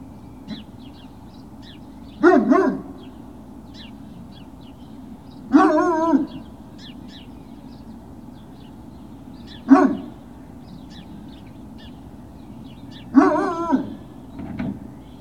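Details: Great Dane puppies on Puppy Hill, 21 March 2019, late morning, with four short, husky barks spaced roughly every three to four seconds over a steady low background hum.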